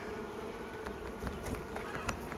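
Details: Honey bees at a garden hive in spring, fairly calm on a cool, overcast day while a honey super is added; a steady low buzzing hum with scattered short clicks and knocks from hive work.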